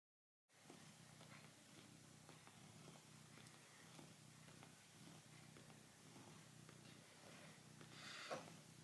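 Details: Tiger, a male red domestic cat, purrs while kneading a plush mammoth toy indoors: a soft, continuous low rumble pulsing steadily throughout, quiet and close, with faint room rustling and a brief higher scrape near the end.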